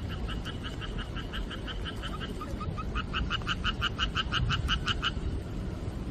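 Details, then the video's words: Frogs croaking in rainy-season rain, July 4, 2023: a steady string of clipped, evenly spaced two-toned croaks, briefly faltering, then resuming faster and louder before stopping, over a continuous wash of rain. "개구리소리 빗소리"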